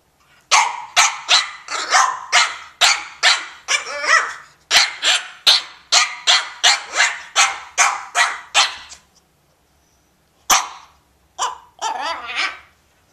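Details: Elmer, a French Bulldog, at play with a cat: a fast volley of about seventeen short, harsh barks, a brief silence, then a single bark and a final whining, wavering yelp.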